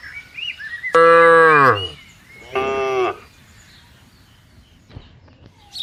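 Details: A cow grazing with buffaloes on a wide green pasture gives two loud, drawn-out moos, the first long and steady, the second shorter.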